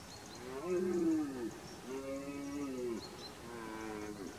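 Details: Red deer in the rut, 2021: three drawn-out, hoarse harmonic roars about a second each, the first strongest and bending downward at its end, with faint high bird chirps behind.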